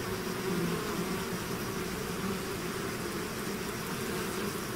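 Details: Bees swarming out of their hive make a continuous layered hum, a low wavering drone over a hiss-like wash of many wingbeats, even in loudness from start to end.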